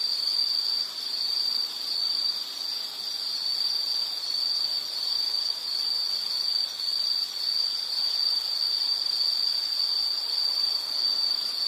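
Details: Insect chorus for relaxation and sleep: a steady high-pitched shrill trill held without pause, with fainter high buzzing overtones and a soft hiss beneath.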